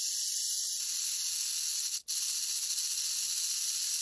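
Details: Rock python hissing, a loud continuous airy hiss broken by one brief pause midway, then resuming at full strength.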